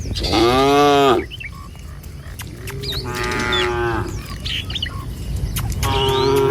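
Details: Tame village cattle moving in a line along a rural road in the morning toward feeding grounds: one loud drawn-out moo, a softer second, then a third starting, with scattered bird whistles between.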